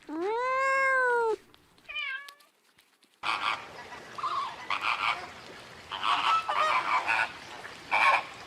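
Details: Cat gives one long, clear, arched meow, then two short higher mews, followed by a stretch of noisy background with scattered rustling sounds.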